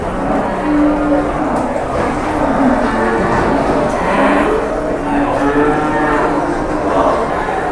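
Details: At Pasar Jelok livestock market in Boyolali, Indonesia, large cattle give short, flat lowing calls repeated through a dense wash of crowd noise and voices.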